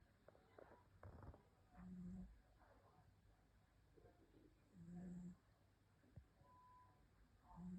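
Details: Sleeping cat snoring softly, each low humming snore lasting about half a second and returning roughly every three seconds, with quiet breathing noise between them.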